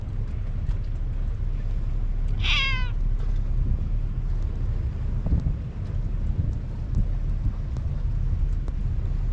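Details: On a Japanese cat island, a stray cat calls without approaching; one brief, bright meow dropping in pitch rises out of steady wind buffeting, then only the wind remains.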